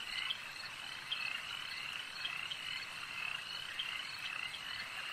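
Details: Crowded frog chorus at a lake: steady trilling croaks from many callers, with a few louder clicks and chirps popping out near the start and middle.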